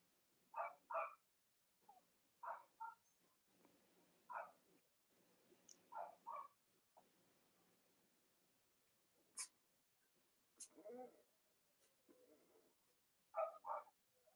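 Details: Cavalier King Charles Spaniel puppies belonging to mothers Robin and Myra on a chilly-morning live stream. Soft paired yelps and little squeaks every couple of seconds over a faint background hum, with a few sharp clicks.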